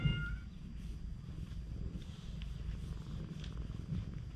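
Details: Affectionate stray cat on a cat island in Japan: a short high meow opens, then a soft, continuous low purr with pulsing texture fills the rest, plus light rustling.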